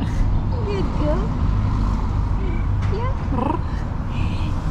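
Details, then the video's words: Calico cat talking to her owner with soft rising trills, several short chirrups spread over a few seconds, over a constant low rumble like a vehicle or appliance, with a woman's voice praising her. "Calico cat talks to me with her incredibly cute trills"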